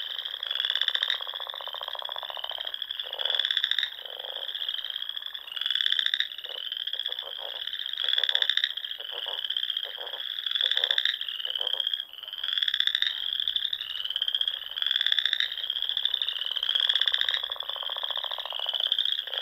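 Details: Frogs in full spring chorus at dusk among ponds and small lakes in the rolling dunes of the Sandhills of Nebraska; overlapping high trilled calls swell and fade in waves every couple of seconds, with lower pulsed croaks beneath.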